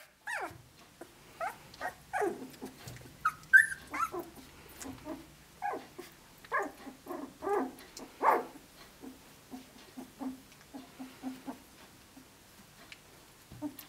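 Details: Australian Shepherd pups at 17 days old, a litter out of Dazzle sired by Naishe, walking and playing together; short falling yelps and squeaks come in irregular bursts, fading to softer low murmurs in the second half.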